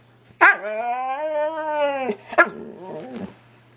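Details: Husky at home talking with its owner, a long harmonic woo-woo howl held for nearly two seconds with slight wavering pitch, then a short yelp and a few brief murmuring grumbles; a woman's voice asks what it wants.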